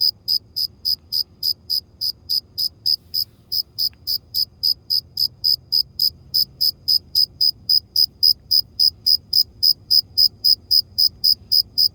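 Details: Cricket. A cricket chirps in a bright, high-pitched series of short pulses, about four per second. The rhythm stays remarkably even throughout, with nothing else heard behind it.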